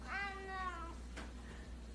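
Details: Pet cat in a funny home compilation; a single clear drawn-out meow, tonal and slowly falling over most of a second, then a soft click and quiet room background.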